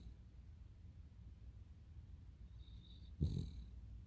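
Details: Snore from Totoro, a Cavalier King Charles Spaniel pet. After quiet, low breathing, a faint whistle rises and leads into a single throaty snort, followed by a fading whistle.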